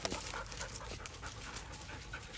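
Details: Black double-coated German Shepherd dog breathing in quick, soft, breathy pants, a steady rhythm of hushed puffs over a faint background hiss.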